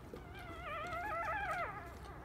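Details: Two-day-old Labrador Retriever puppy, one of a litter of ten from Copper and Jack, gives a single drawn-out whining squeal with a wavering, rising and falling pitch, lasting about a second, over a low background hum.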